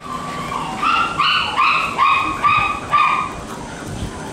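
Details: Shiba Inu dogs offered watermelon for the first time; one whines in a run of five or six clear rising-and-falling whimpers, each about half a second long, in quick succession, then falls quiet.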